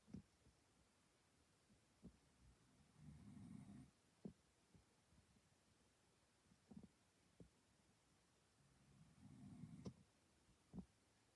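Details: Pet dog snoring loudly indoors: two long, rough, low rumbling snores about six seconds apart, with a few soft clicks and breaths between them in a quiet small room.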